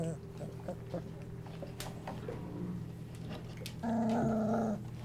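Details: Golden Retriever puppies, twenty-five days old, in a whelping box on an evening as they settle to sleep; near the end comes a steady, held whine with stacked harmonics, after quiet shuffling and a steady low hum.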